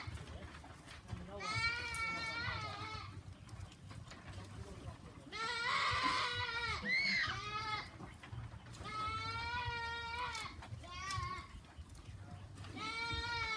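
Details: Goats on a goat farm bleating in long, wavering, nasal calls that come in separate bursts across the clip, with a steady low hum and faint background noise between them.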